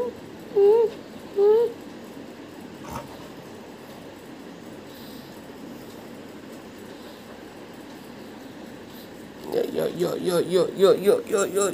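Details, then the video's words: Pet Golden Retriever giving two short, clear, slightly rising whines in quick succession, followed by a long stretch of quiet room hum, then a closing burst of rapid wavering voiced sounds. "Golden Retriver Dog"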